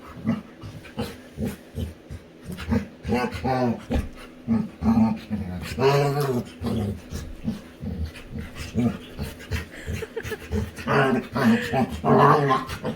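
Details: Winry, a female Labrador retriever, plays with her owner and makes funny sounds: a run of short, throaty growls and moaning, whine-like vocal bursts with panting in between, some voiced sounds overlapping, over a steady indoor background.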